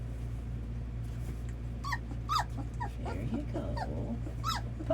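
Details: Red Labrador Retriever puppies at their first feeding, offered milk; scattered short high whines and squeaks slide downward amid a steady low hum, with soft lapping-like noise and a few louder yelps.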